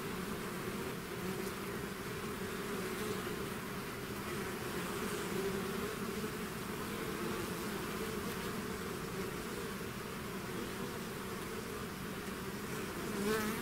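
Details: Many bees in a swarm out of the hive make a steady, slightly hissy wall of buzzing, softer humming tones underneath, with a single closer bee passing at the very end.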